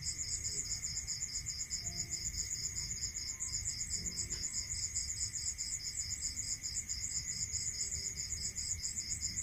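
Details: Night-time cricket chorus in rural countryside, two high pulsed trills overlapping continuously, one fast and shrill, the other a slightly lower rhythmic chirping, with a faint steady hum and soft low rumble underneath.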